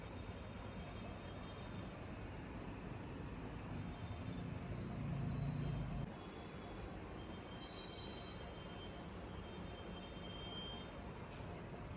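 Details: Steady, broad rumbling noise like a passing vehicle or train, swelling briefly around the middle, with no animal voice heard.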